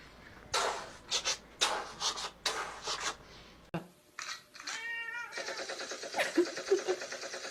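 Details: Domestic cat said to be making shotgun sounds: a run of breathy, noisy bursts, then a short clear harmonic meow midway, followed by a dense, buzzy, rattling stretch of sound.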